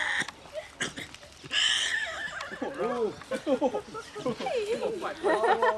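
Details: Young Tasmanian devil joeys squabble while tussling and racing around their enclosure at a wildlife refuge, 8 July 2008, with wavering whines and squeals broken by harsh, noisy bursts.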